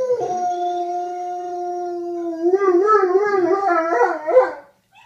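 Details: Two male dogs howling as mating calls to a female in heat on her second day, the old dog teaching the young one: a long steady low howl, then a second wavering, warbling howl joins and rises before breaking off.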